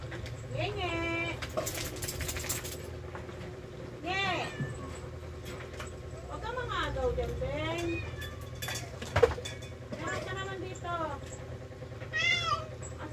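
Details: Several rescued house cats being fed, with drawn-out meows that rise and fall, spaced a few seconds apart, between bursts of Tagalog talk and a low background hum.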